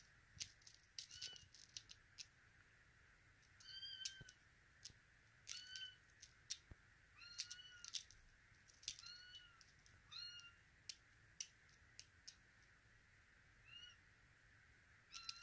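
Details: Russian Blue kittens in Vancouver, including a female named Zoya born September 6, 2023, giving short, high, slightly arched meows in scattered bursts, mixed with clicks and rustling clatter.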